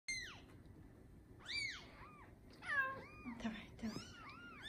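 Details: Newborn Bengal kitten, one of a litter of seven born in the morning of 15 July 2019 to a registered Bengal queen, mewing indoors: high, thin arched mews rising then falling, about six in quick irregular succession, over a low background hum.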